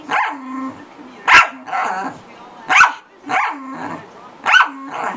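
A corgi barks loudly and sharply, each bark repeated roughly every second and a half.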